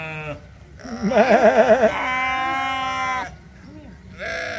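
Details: Sheep communicating at the Toronto Islands Centre Zoo: a long wavering bleat with a trembling, vibrato-like start, held steady for about two seconds, flanked by shorter bleats before and after.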